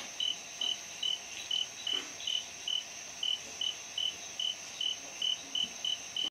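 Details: Sri Lankan orange canthal shrub frog calling at night in Sinharaja lowland rainforest, February 2011: a string of brief, evenly spaced high ticks, roughly fifteen in six seconds, over a steady thin background whine.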